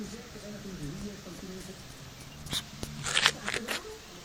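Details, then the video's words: Domestic cat making a weird sound: a low, continuous wavering moan with rising and falling pitch for about two and a half seconds, followed by sharp clicks and rustling handling noises. "Cat makes weird sound"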